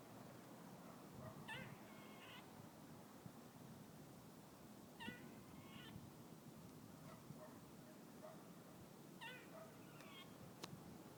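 A squirrel gives whiny, mewing calls in short bursts, about every four seconds.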